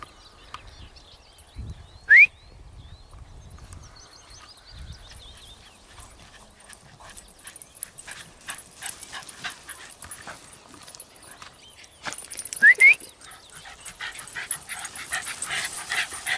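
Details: Two sharp, high, upward-sweeping yelps from a Cairn terrier in Inverurie, spaced about ten seconds apart.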